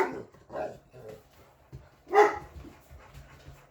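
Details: English Mastiff dogs talking back: a few soft woofs, then one loud, sharp bark, with a woman speaking to a dog named Candy Girl in the background.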